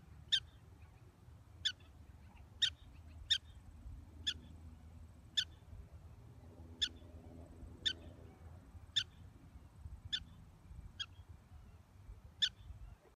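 A black-tailed prairie dog gives sharp, high chirps, one roughly every second.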